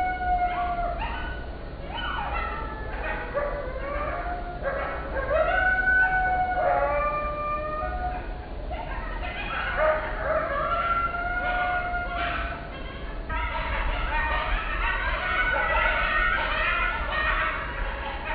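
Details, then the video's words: Wild coyote family recorded in the early hours of 20 June 2024 in the Pacific Northwest, USA: overlapping wavering howls, rising and falling yips and sharp barks from several animals throughout, over steady low background noise. "Coyote family howls and barks"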